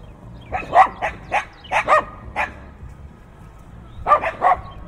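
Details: Fierce barking from dogs, recorded binaurally with in-ear microphones amid heavy wind: clusters of harsh, rapid barks, a gap of nearly two seconds, then three more quick barks.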